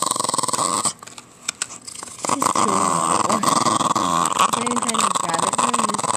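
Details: Patterdale Terrier growling indoors, a low continuous rumbling growl that starts after a brief quiet gap and runs steadily to the end, over a constant background hum.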